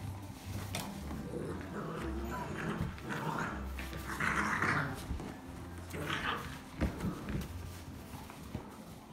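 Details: Seven-week-old Vizsla x Dogo Argentino puppies from a litter of thirteen romp energetically in the afternoon, joined by a livestock guardian pup. Low, continuous growling and scuffling fill the clip, with a few brief higher yips and a human voice in the background.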